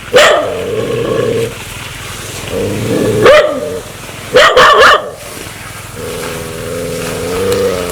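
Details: Aggressive dog that wants to bite: long tonal snarling growls, steady and droning, broken by a few sharp, explosive barks in the middle, with growling resuming at the end.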